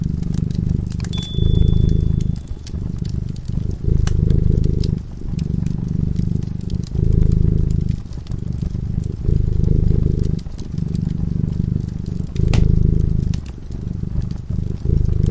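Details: A cat dozing in front of a cozy fire purrs in deep rhythmic waves, each breath-long rumble lasting one to two seconds, while the fire snaps and crackles and a brief thin tone sounds near the start.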